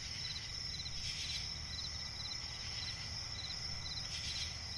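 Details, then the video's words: Night forest swamp ambience with crickets: a constant shrill high trill plus small clusters of rapid pulsed chirps, set against low-frequency background hum. "cricket chirping relaxing sound in night forest"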